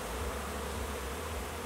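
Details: Honey bees buzzing at a hive as new bees make their orientation flight on becoming foragers; a steady, dense low hum with no breaks.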